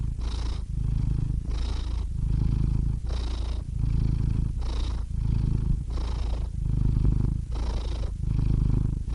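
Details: Domestic cat purring steadily, a deep rumbling throb in alternating inhale and exhale phases, each lasting about a second, with soft breathy hiss at the start of every breath.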